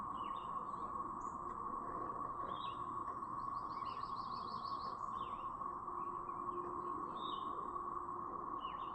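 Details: A brood of cicadas in Chapin, South Carolina, May 7, 2024, keeps up a constant droning siren while birds add scattered chirps, a rapid trill and short whistled notes.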